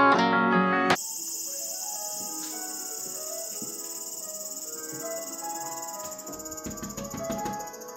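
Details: A cicada's loud, steady high-pitched buzz drones on over soft background music during a hot late summer in Japan.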